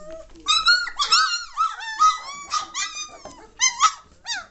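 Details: Several German Shorthaired Pointer puppies, three weeks old and growing lively, utter bright harmonic squeaks and wavering whines, some notes rising then falling, in irregular bursts with short pauses.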